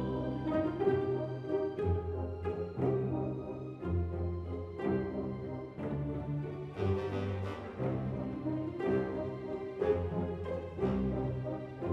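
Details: Orchestral brass music plays throughout, with horns and trombones holding low, swelling notes. No animal sounds can be heard.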